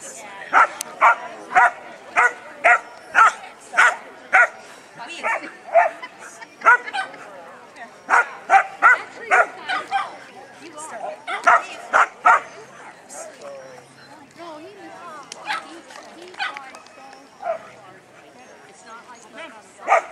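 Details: Labrador Retrievers at a trial in Monroe, Washington, barking and spinning: sharp repeated barks in quick bursts, roughly two per second, with irregular gaps and some talking underneath.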